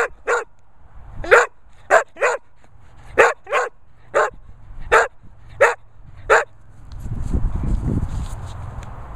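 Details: English Springer Spaniel barking in short, sharp single barks, about ten over six seconds with some in quick pairs, followed by a low rumbling background noise.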